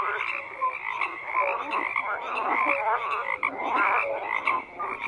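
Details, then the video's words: Dense croaking of many frogs, a steady wash of overlapping raspy calls with occasional brief whistle-like notes rising above it. "FROGS CROAKING"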